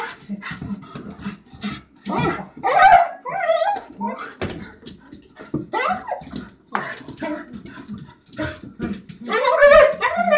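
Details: A dog named Hunter greets its owner with eager, squealing whimpers, rising and falling in wavering pitch, mixed with short yips and soft background movement.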